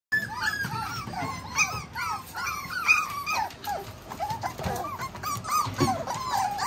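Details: Tiny Poodle, a gentle-natured male puppy, giving high, rapid whimpers and squeaky whines that rise and fall in quick succession, indoors.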